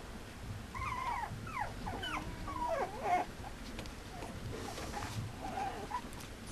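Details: Mame Shiba Inu male puppy whimpering: a quick run of short, high, bending whines packed into two seconds, then quieter scattered squeaks over a hissy background.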